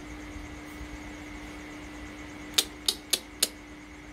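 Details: Quiet room hum with a steady electrical tone, then four sharp mechanical clicks in quick succession.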